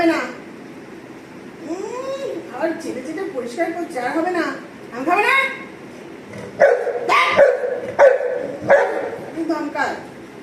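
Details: Anna, a Golden Retriever, pleads with her owner for an apple: rising-and-falling whiny yips with bright harmonics, then a run of short sharp barks, all over steady human speech.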